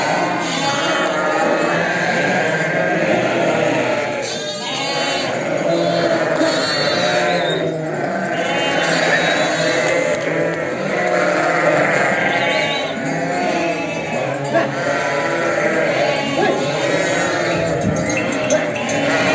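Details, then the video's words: Flock of sheep with lambs being readied, a constant chorus of wavering bleats from many animals, high lamb calls mixed with lower ewe voices, no gaps. "Funny sound #Preparation of sheep herds with lambs"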